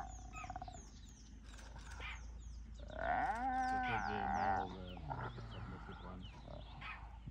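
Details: A hyena, being submissive to a larger female, gives a drawn-out, wavering whine that rises and then slides down into a low groan.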